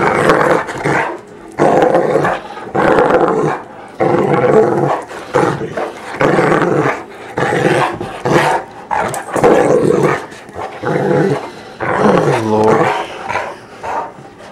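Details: Great Dane, a big female dog, being rowdy and playful indoors: repeated rough growls and grumbling roars in bursts of about a second, with short pauses between, as a person talks to her.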